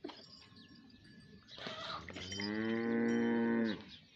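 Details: A bullock cart racing bull gives a single long, steady, deep moo that lasts about a second and a half. Before it come softer rustling sounds and a short voice-like noise.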